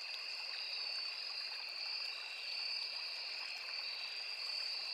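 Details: Crickets calling in a riverside forest, a seamless high droning trill on two pitches that swells slightly and eases, set against a low steady rush of the small river.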